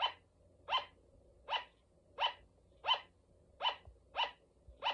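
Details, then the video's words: A female pet sugar glider gives short, sharp yapping barks, repeated steadily about once every second. "フクロモモンガの鳴き声 The bark of sugar glider"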